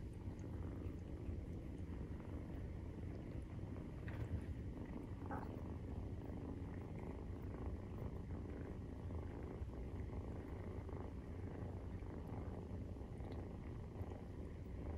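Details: Nursing-time purring from Maine Coon cats, kittens aged 43 days: an even, deep, vibrating rumble, steady from start to end, with no other clear sounds.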